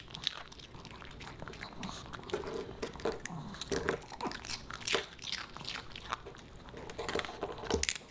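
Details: Boba Bear, a Pomeranian puppy, snacks on dog-friendly fish and chips indoors: irregular crisp crunches and bites alternate with soft crinkling and wet chewing in a small, quiet room.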